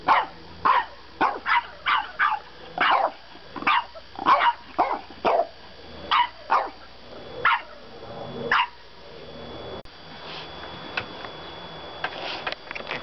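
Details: French bulldog puppy protesting bedtime with a long run of high yappy barks, about two per second at first, easing into softer, sparser yips over low background hum.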